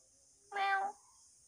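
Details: Pet house cat, filmed sleeping at home, gives a single short meow of about half a second, harmonic and slightly falling, against a quiet background with faint steady high hiss.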